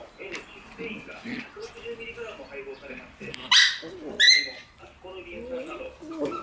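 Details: Group of Shiba Inu puppies with a black Shiba indoors; two brief high-pitched yelping whines about three quarters of a second apart, surrounded by quieter murmuring voices and faint puppy noises.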